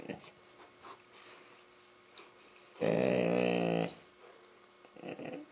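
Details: Labrador Retriever at play with a young Rottweiler, giving a loud, buzzy, harmonic growl of about one second, evenly pulsed, with faint rustling and panting-like breaths around it.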